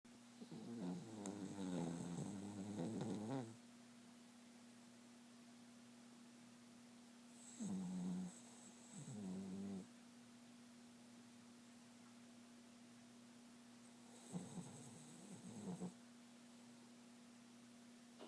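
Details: Pet dog snoring and dreaming while asleep indoors: three bouts of rough, fluttering snore-like breaths with whimpery tonal wobbles, roughly every six seconds, separated by quiet stretches over a steady low hum.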